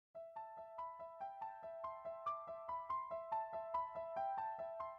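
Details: Electric piano plays a bright, repeating melody of evenly spaced notes, with no animal voice anywhere.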